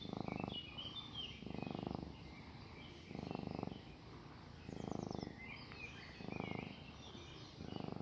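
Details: Cat kneading and purring as if its owner were its mother. Steady low rumbling purr comes in regular breaths about every one and a half seconds, each burst pulsing fast. Outdoor birds twitter faintly behind.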